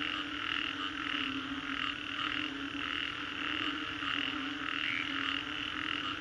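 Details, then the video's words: Post-storm frogs in Singapore's Green Corridor fill the air with pulsing, overlapping croaks, rising and falling in rhythmic waves above a constant low drone. "Frogs after Storm"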